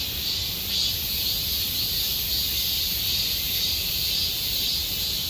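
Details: Short stretch of summer cicada song at Gomsol Nuri Forest in the Sihwa district, a piercing continuous buzz that pulses gently in loudness about twice a second.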